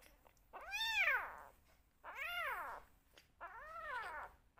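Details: Rescue kittens making noise at bottle-feeding time: three clear, loud, arched meows with rich harmonics, rising then falling, spaced about one and a half seconds apart, indoors.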